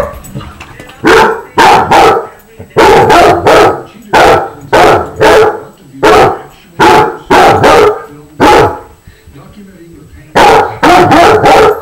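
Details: Pet basset hounds at play make lots of noise, loud short barks in quick pairs and triplets, repeated roughly every second over most of the recording, with faint speech heard in the quieter moments.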